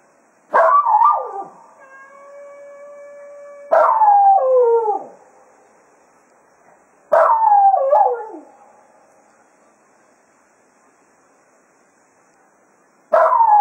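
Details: Jack Russell Terrier Cato bids the foxhounds farewell after hunting at Quail Roost, giving three separate wavering howls, each dipping in pitch, spaced roughly three seconds apart, with a steady held tone sounding between the first two.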